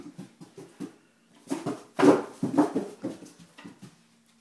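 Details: Great Dane named Zephyr, frightened by seven-week-old kittens, giving short low whimpering pulses in quick irregular runs, about two a second, with a louder burst midway and brief quiet gaps between.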